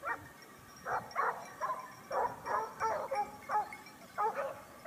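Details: Hunting Basset Hounds of the Topsfield Lebrera pack, Spain, 2015-16 season. Spaced bays, often in quick pairs, ring out about once every half second against a quiet background, some cries ending in a clear upper tone.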